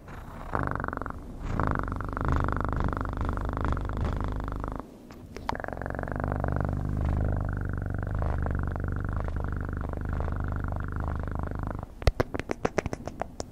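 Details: Domestic cat purring in a close-up ASMR recording: a steady, low rumbling purr that runs for about four seconds, breaks briefly, then continues evenly, ending with a few sharp clicks and taps.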